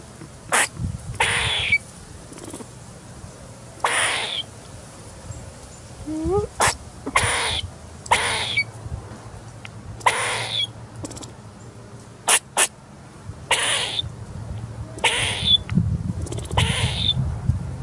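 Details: Squeaking squirrel while feeding, recorded 10/10/2019: brief harsh squeaks roughly every one to two seconds, one rising tonal slide midway, with low rumbling background noise throughout.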